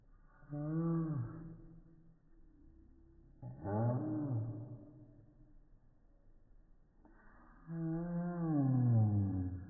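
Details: Female Pekingese dog's bark played in slow motion, turning into three long deep, drawn-out roaring groans with falling pitch, said to resemble a cow or lion, separated by pauses.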